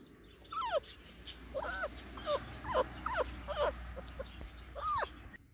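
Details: Five-week-old Labrador Retriever puppies exploring a garden; about eight short, high whimpering yelps with falling pitch, roughly one every half second, over a low steady rumble.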